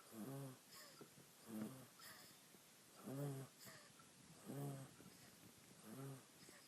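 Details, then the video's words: Napping female monkey, asleep on her owner and dreaming, snores steadily. Five short, husky, low-pitched breaths rasp out at an even rhythm about every 1.3 seconds, with faint soft rustles between them indoors. "Cute Little Monkey Snoring While She Naps"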